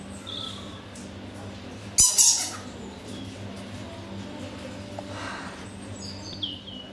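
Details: Captive Egyptian fruit bats (Rousettus aegyptiacus) at a wildlife park in Hertfordshire, England, in daylight in February 2012, noisy while boxing each other, give a brief, harsh, high-pitched squabbling screech over a steady low hum.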